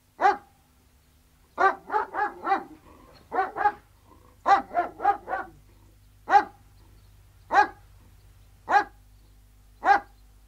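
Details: Alsatian guard dogs, three of them, barking outside. One sharp bark opens, then clustered runs of three to four overlapping barks follow. Spaced single barks come roughly every second and a half toward the end.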